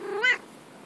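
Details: Female pet cat making a single brief meow, rising then dropping, bright and harmonic, under a second long, with light background hiss.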